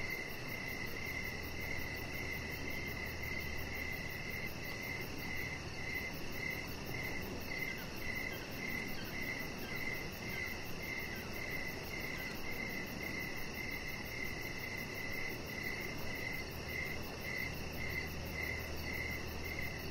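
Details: Several crickets sing in the evening outdoors by a deck with decoration lights and a resting chihuahua puppy; dense, overlapping high chirps run continuously, with a low steady hum and hiss underneath.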